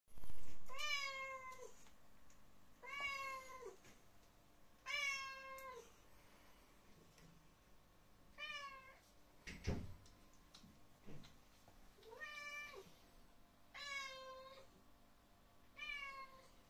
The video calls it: Cat Meowing